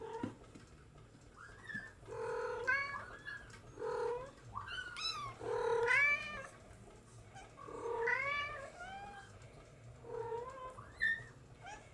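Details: Bengal kittens from two July 2022 litters, a litter of three born July 11 (two boys, rosetted and marble, and a marble girl) and a rosetted singleton boy born July 13, giving repeated high bending meows, about eight calls, with a faint low hum.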